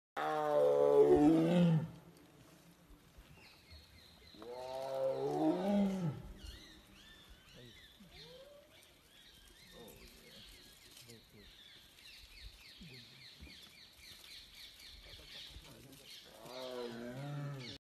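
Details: A tiger (Panthera tigris) gives deep, rasping roars in separate bursts, with quieter high sounds between them.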